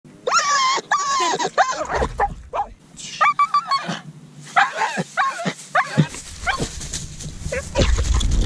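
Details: Pit bull at coursing, giving excited high-pitched yelps and whining cries in quick bursts with short barks, mixed with human voices and outdoor noise.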